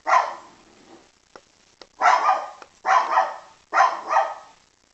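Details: Poodle giving four barks, most of them doubled yaps, spaced about a second apart, bright and mid-pitched, with small clicks in the pauses.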